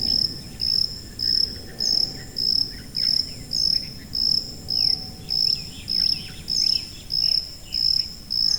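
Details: Insistent high cricket chirps pulse at an even pace, about every 0.6 seconds, while faint sweeping twitters flicker in the background over a quiet low hum.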